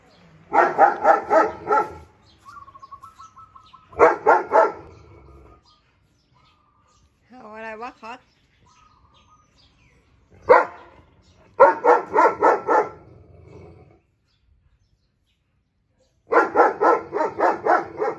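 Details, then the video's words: Walcott, a German Shepherd dog who likes to bark and talk with other dogs, barks very loudly at his friend: clusters of rapid, deep barks lasting about two seconds each. Quiet pauses between them carry brief tonal squeaks and whines. "Walcott the German shepherd is barking to his friend."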